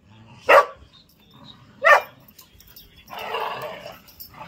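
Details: Whippet male playing an impromptu game at home, giving two sharp yelping barks about 1.5 seconds apart, followed by a longer rough growl-like burst near the end.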